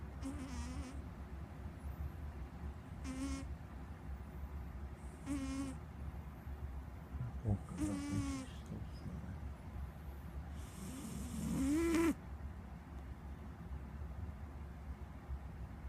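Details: A pet cat snoring; nasal, harmonic snore bursts with a breathy hiss recur every two to three seconds, some longer and louder, over a steady low background hum.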